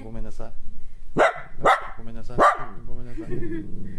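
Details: Angry at being kept home during a state of emergency, a female Kaninchen Dachshund barks indoors in a quick run of three loud, harsh barks about half a second apart, framed by lower growling, grumbling vocalizing.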